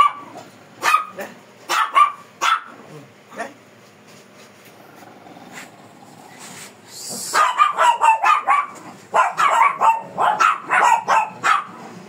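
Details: A fierce Shih Tzu being groomed barks in short sharp bursts: a few spaced barks early, then a rapid run of repeated yaps near the end.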